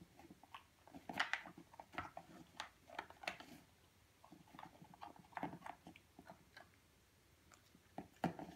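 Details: Indoor feeding of a purebred European Doberman Pinscher puppy aged 8.5 weeks: steady crunching and biting, brittle clicks in irregular clusters with brief pauses, louder bites near the start and end.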